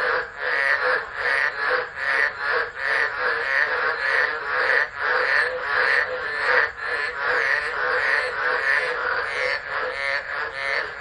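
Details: Tropical frogs calling in a chorus during a tropical low storm at Driver, Northern Territory, Australia, 13 December 2013, recorded on a phone camera left unattended: dense overlapping pulsed croaks, swelling and fading roughly every half second.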